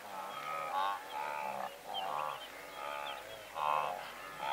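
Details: Herd of several hundred blue wildebeest from medium close range: a dense wash of nasal honking calls rising and falling, with scattered high chirps of larks singing.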